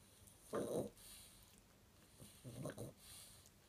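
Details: Chihuahua sleeping and dreaming, snoring softly indoors; two breathy, rough snores about two seconds apart, quiet between them.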